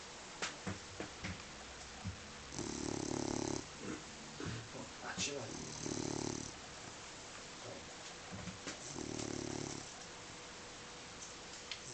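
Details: Deeply sleeping dog snoring in a regular rhythm: three rasping, vibrating snores about three seconds apart, each lasting roughly a second, with soft taps and faint voices between breaths.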